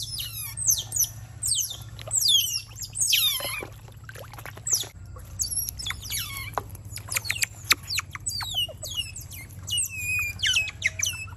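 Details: Constant overlapping squeaks and falling whistles from wild otter pups at a garden swimming lesson, with calls tumbling over one another almost without pause, over a faint low background hum.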